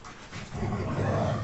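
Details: Labrador Retriever; growl; aggression during a fight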